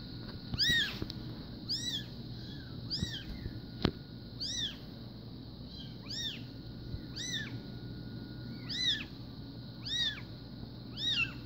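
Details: Newborn SBT Bengal kittens, a litter born 04/02/2016, keep up shrill, arching cries at irregular intervals, some overlapping. A sharp click near the middle and a low hum sit under the calls.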